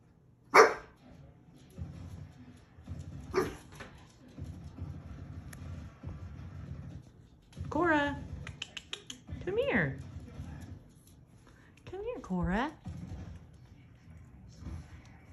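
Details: Shiba Inu puppy named Korra, female, wearing a dress indoors: two sharp single barks early on, then wavering, whiny, rising-and-falling yelps with rich harmonics in short bursts near the end, over a low steady hum and a person calling her name.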